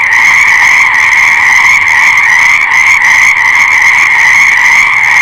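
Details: Massed frog calls form an unbroken, high, rattling chorus with faint rhythmic pulsing across the overlapping voices, sustained at full strength the whole time.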